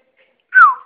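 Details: Female Poodle named Lili begging for affection indoors, giving a single short whine that slides smoothly downward from a higher to a lower pitch and fades out, with silence before it.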